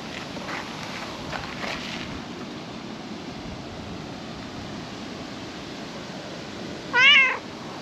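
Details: Calico cat sitting on a table in a park, basking in the setting sun; after a long quiet stretch of faint outdoor background, one short, clear, rising-then-falling meow near the end.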